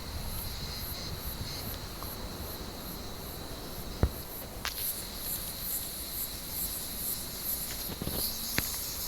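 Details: Warm-evening cicada chorus in an olive tree: an unbroken high buzz with a faint pulsing shimmer at the very top, broken by occasional snaps and rustles from cats hunting among the branches.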